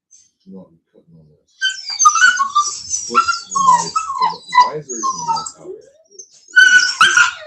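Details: Cane Corso (Italian Mastiff) from a Tennessee breeder's pack, giving a run of high, wavering whines and yelping whimpers that rise and fall, mixed with human talking throughout.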